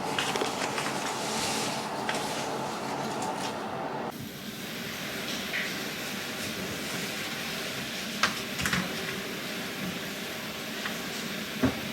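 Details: Steady broadband rumble and hiss, like a train or machinery heard indoors, with an abrupt change in tone partway through and a few sharp knocks.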